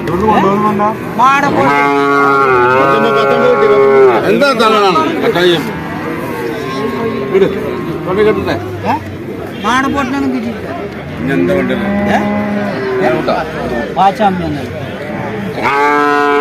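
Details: Calves lowing at the Vaniyamkulam cattle market among traders: several moos, some short and some longer, overlap busy conversation and bargaining voices, with a final moo at the end.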